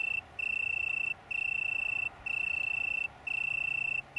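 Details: Italian tree cricket, small colony on Brighton downland, UK, 21 September 2019: four sustained, steady trills of about a second each, separated by short gaps, in quiet surroundings.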